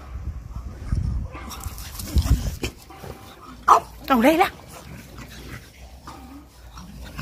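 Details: Pet French Bulldog at play near water: low rumbles, then a brief squealing whine rising and falling twice around four seconds, mixed with a woman chatting in Thai.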